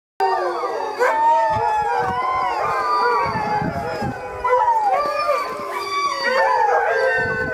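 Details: Several Siberian Huskies howl together in a yard, in overlapping, sliding tones that rise and fall.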